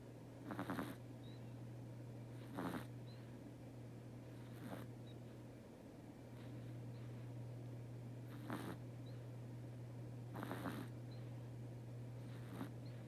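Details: Sleeping house cat named Teto snoring steadily, each breathy, rasping snore arriving roughly every two seconds with quieter breaths between, while a constant low hum runs underneath in a quiet indoor room.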